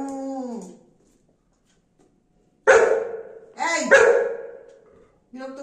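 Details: A female Golden Retriever, smelling boiled potatoes, gives loud, harsh barks in quick bursts to demand some while a woman talks to her.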